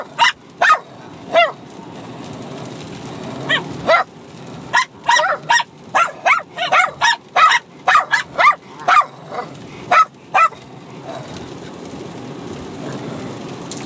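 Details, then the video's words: Bichon Frise puppy, six months old, and another dog bark at each other in mixed fighting and play, a rapid irregular volley of shrill yaps that eases into quiet near the end. "Bichon Frise Puppy & Dog Barking at each other Crazy for over 5 minutes"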